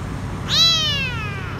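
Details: Lone, dirty young male kitten hiding beneath a food truck at a grocery store, crying out for food; one loud meow that starts sharply, rises slightly then slowly falls away, over low background rumble.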